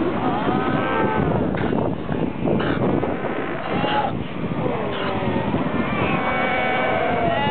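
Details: A dense chorus of Cape fur seals at the Cape Cross colony, Namibia, recorded on 3 September 2008, with overlapping sheep-like bleats and hoarse, wavering moans.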